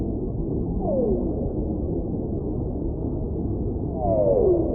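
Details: Whale song: two smooth moaning calls, each sliding downward in pitch, the first near the start and the second louder near the end, over a constant low rushing underwater hiss.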